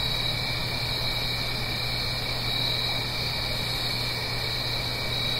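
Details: Continuous high, even trilling of autumn-night crickets in the Blue Ridge Mountains near a gentle stream, stacked in several steady bands, with a low persistent hum under the chorus.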